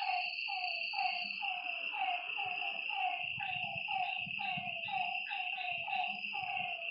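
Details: Frogs calling at night by a lake: several overlapping voices give short, mid-pitched, downward-sliding croaks about once a second, over a steady high insect drone.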